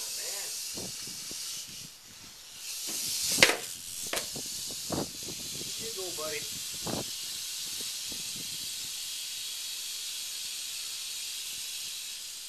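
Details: Continuous airy hiss from a northern Pacific rattlesnake (Crotalus oreganus), bright and high, holding steady throughout, with a loud knock near the start and brief human voices partway through.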